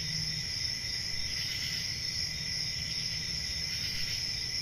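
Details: Summer-night crickets in a rural setting: an unbroken shrill, high-pitched trilling chorus, even in loudness, with a faint low rumble beneath.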